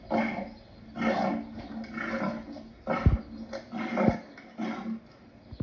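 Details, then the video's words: Lion making several low, rough grunting calls at uneven intervals, with a few sharp clicks or knocks between them and no other clear sounds. "Lion sounds part 2"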